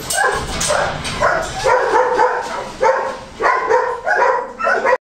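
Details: Yapping Goldendoodle puppies, a Golden Retriever and Standard Poodle cross, in a Christmas 2007 litter, giving clustered high-pitched yelps in short bursts with quiet gaps, ending abruptly.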